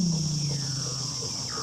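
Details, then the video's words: A seal calls beneath the sea ice near McMurdo Station, Antarctica, on a still, windless day: a low, steady hum that slowly sinks, then a quick falling whistle, an inorganic, otherworldly sound. "You can hear the seals call, and it's the most amazing sound. They make these really inorganic sounds."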